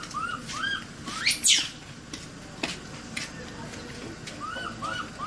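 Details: Trapped baby monkey, an Asian macaque, crying and calling for help, extremely scared: short arched whimpering coos with harmonics, a shrill rising-falling screech near the middle, then more paired coos toward the end over a soft background hiss.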